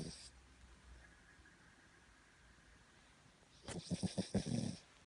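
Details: Carrie, a Cavalier King Charles Spaniel, asleep on its owner's belly at midday, gives a soft start, a long quiet pause, then one throaty, vibrating snore made of quick low pulses near the end.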